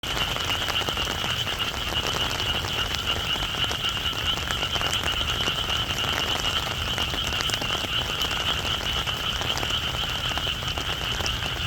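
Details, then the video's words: Frogs calling in the rain: a dense, continuous chorus of high rapid trilling croaks holds steady throughout, over a constant hiss of rainfall. "비올때 듣는 개구리 소리"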